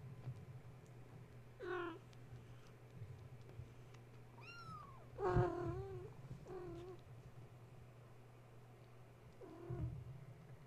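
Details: Domestic kittens indoors, woken at bedtime when a space heater was plugged in, now playing and climbing around their mother Gaia: several harmonic, rising-then-falling meows spaced a few seconds apart, with a steady low electrical hum beneath.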